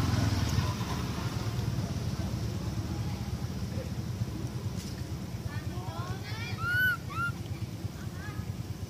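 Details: Baby monkey Amara crying for its mother after being bitten: a burst of short, high, arched whistling cries late in the recording, some overlapping, above a steady low engine rumble.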